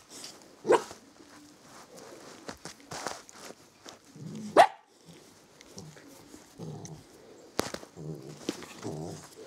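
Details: Samoyeds at the Bely Volk kennel, a mother with her puppies; two sharp, short barks stand out, one near the start and one midway, with softer yelps, whimpers and scuffling in between.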